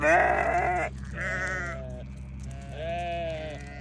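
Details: Newborn lambs bleat three times in under four seconds: a loud, rich first cry, then two softer, wavering ones, over a steady low mechanical hum.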